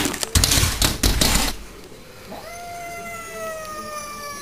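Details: Cat fight through a glass door between a neighbourhood bully cat and a household cat: harsh, loud hissing bursts and scuffling for over a second, then a rising, wavering moaning yowl that stretches on steadily.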